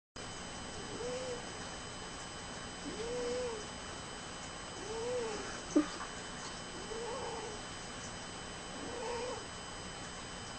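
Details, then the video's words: Cocoa, a fat black cat, snores loudly: soft, whistling nasal tones arch up and down roughly every two seconds over a steady electrical hum, with one brief click midway. "COCOA the cat snores"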